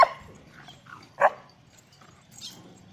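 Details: Dalmatian and pointer puppies fighting in play, giving two short, sharp yelping barks about a second apart, then a fainter high squeak near the end, over quiet background.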